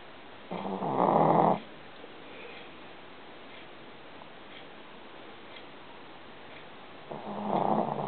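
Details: Sleeping female Shih Tzu puppy named Shishi, whose nightly snoring can wake her owner; two loud, rasping snores about a second long, spaced roughly six seconds apart, with quiet breathing and room noise between.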